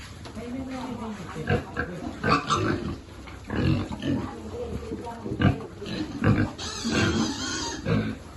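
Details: Piglets at a pig farm during feeding, some living there since their ancestors and some taken in after being abandoned or disabled; short low grunts and snorts come in irregular bursts, with a person talking nearby throughout.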